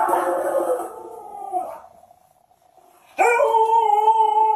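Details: Alaskan Malamute howling anxiously while its owner pretends to be dead; a long wavering howl fading out, a brief quiet pause, then a sudden strong, steady, tonal howl with rich harmonics.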